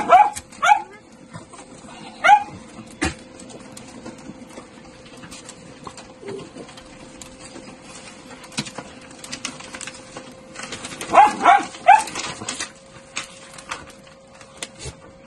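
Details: Miniature Dachshund from a breeder gives scattered short, high yips: a pair at the start, one more a little later, then a quick burst of three near the end, over a constant low hum.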